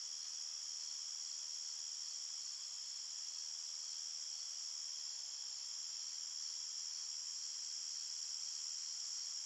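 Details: A chorus of crickets chirping at night in the forest, a constant bright ringing hum of stacked high tones that never breaks or changes, with no other animals or noises.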